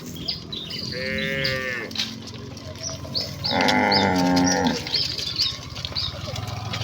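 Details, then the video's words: Village cattle in a herd hurrying joyfully back to the pen give two moos, a short one and then a fuller, louder one, a few seconds apart. Birds twitter steadily above a soft rural background hum. "Kawanan sapi lembu yang berlarian menuju kandang dengan kegiranganan dengan suara moo khas sapi desa"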